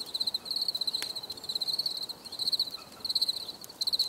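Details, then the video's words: High ringing cricket trills made of quick pulses, grouped into bursts with short pauses between them, plus a sharp click near the one-second mark. "Les grillons || Bruit de Grillons"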